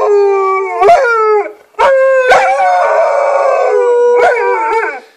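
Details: Pair of dogs named Nanuk and Miki howling in response to an ambulance: drawn-out overlapping howls with gliding pitch, briefly breaking off once, punctuated by sharp knocks.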